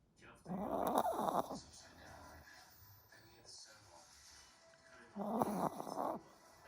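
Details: Pomeranian snoring even with its eyes open: two rough, snorting breath bursts about four seconds apart, with quieter breathing between.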